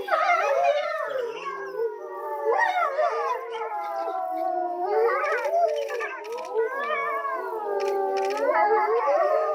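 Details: Grey wolves at Tama Zoological Park in mid-afternoon, around 3 pm, howling together. Long, wavering notes rise and fall against each other, punctuated by quick yips and broken squealing cries, a restless, quavering chorus with no pause.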